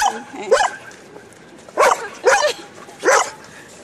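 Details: Park outing for an Old English Sheepdog mixing with other dogs: four loud single barks, spaced irregularly about half a second to a second apart, over a quiet background.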